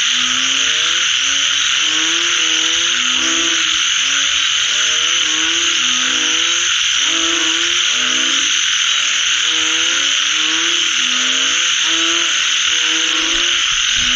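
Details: After rainfall, a chorus of frogs gives deep harmonic croaks in rapid overlapping series, many callers alternating almost continuously, set against a constant bright shimmering hiss filling the upper range.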